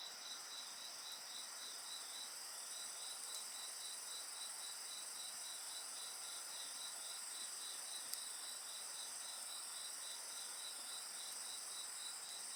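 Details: Insects calling in the dark by a campfire: sustained shrill tones from several singers and a quick, steady series of chirps, with a single faint snap of burning wood.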